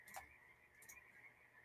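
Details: A dense chorus of Pacific tree frogs (peepers) outside, very loud that day, blends into a steady, high, ringing drone.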